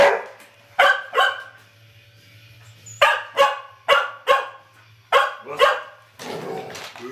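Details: A dog in the Terry vs. Trixie face-off barks in bursts: two to four sharp, ringing barks at a time separated by pauses, ending in a rough, noisy scuffle of sound, with a low background hum.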